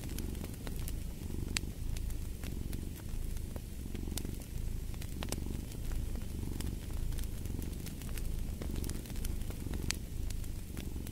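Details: Cat purring beside a crackling fireplace: a steady low rumble swelling and easing in slow breath cycles, with frequent sharp pops and snaps of burning wood scattered over it.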